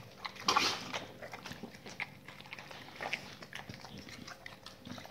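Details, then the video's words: Dogs chewing raw meaty salmon and chicken carcass bones in a small room; a loud crunch early on, then scattered wet bites and gnawing clicks over a faint hum. "dogs eat raw meaty bone salmon and raw chicken carcasses [ASMR] 動物の咀嚼音"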